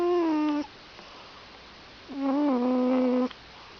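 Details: Snoring cat named Gymble: two steady, buzzing hums, a short one then a longer one, separated by a quiet pause, in a still indoor space.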